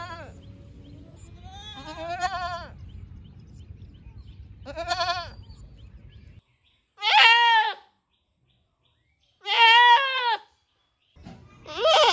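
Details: Several goats in a riverside village called Rosulpur, bleating baa baa: wavering harmonic bleats near the start over low rumbling noise, then three loud clear bleats spaced about two seconds apart.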